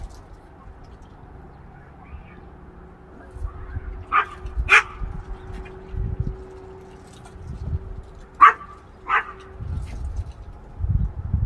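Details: Chihuahua chasing a squirrel in Iowa after the 2020 derecho: four sharp, high barks in two quick pairs, separated by a few seconds, with a person talking low in the background between them.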